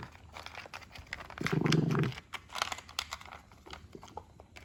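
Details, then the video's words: Indoors, an adult Shih Poo makes grouchy noises while enjoying its food: crunching and crinkling bites throughout, with one low rough growl of about half a second in the middle. "Funny Grouchy Shih Poo making noises while eating"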